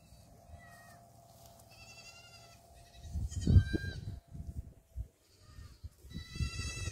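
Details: Farm-kept black goat kids running in Gimhae, South Korea, 8 July 2022: several moderate, wavering bleats from different animals overlap, while heavy thumping and scuffling, likely hooves, rises midway against a constant low hum.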